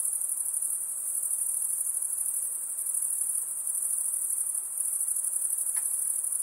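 A steady, very high-pitched insect drone hums without pause throughout.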